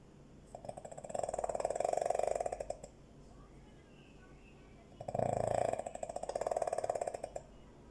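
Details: A sleeping dog snores twice indoors, each a rattling, buzzy breath lasting about two seconds, separated by a quiet pause of roughly two seconds.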